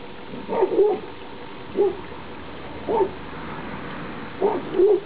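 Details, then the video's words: Outdoor play of a 2011 Labrador Retriever puppy litter, filmed 28 October 2011 on the last day together; five short, bright yelps and whimpery barks spaced about a second apart, with faint background rumble. "Labrador-Welpen Outdoor (alle zusammen - letzter Tag - Teil 2)"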